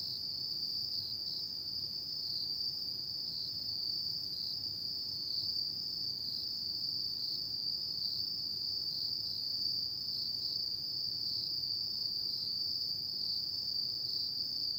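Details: Autumn-night insect chorus, a continuous shrill trill at a constant high pitch with no pauses, accompanied by a thin, higher steady tone and little else beyond faint low background noise.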